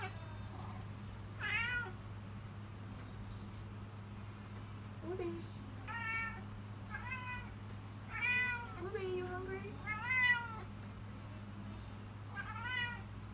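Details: Woobie, a pet cat demanding food at feeding time, gives a run of repeated meows, some short and wavering, others longer and bending in pitch, with faint human speech and a constant low hum in the room.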